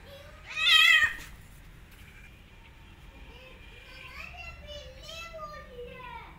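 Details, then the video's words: Meowing while a mother cat, grooming her own kittens, rejects and attacks an orphan kitten; one sharp loud meow comes first, followed by several softer, thin rising mews over the next few seconds. "Mother Cat Attacking Orphan Kitten After Smelling Her"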